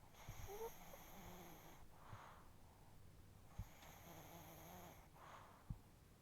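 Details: Pet chihuahua snoring heavily while its face twitches, indoors; two long raspy snores with a buzzy, harmonic-laden drone, each around a second and a half, separated by quieter breathing and a couple of soft clicks.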